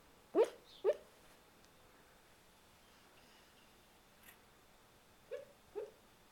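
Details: Sleeping male Boxer dog having a bad dream gives muffled, clipped woofs in his sleep: two quick yips, a long quiet pause, then two more soft yips near the end.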